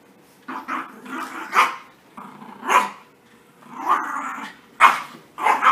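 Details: Puppies at playtime after their bath, mixing rough throaty growling with sudden high yips and barks that come in clusters every second or so.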